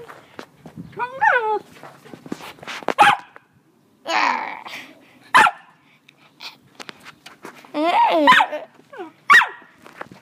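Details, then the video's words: Pet dogs making weird noises: wavering, yodel-like harmonic cries that rise and fall in pitch, with a sharp bark between bursts and clicks and knocks around them. "My mum dogs making weird noise"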